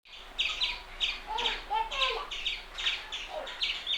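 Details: Indian palm squirrel giving sharp, high chips, mostly in quick pairs, about two per second, with a lower whistled warble overlapping in the middle and faint background hiss.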